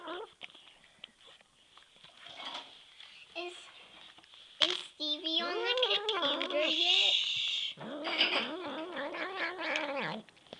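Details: Hungry male house cat begging indoors: quiet human speech first, then a run of loud, warbling, pitch-bending meows and yowls in the second half, some sharp and rising, others long and wavering.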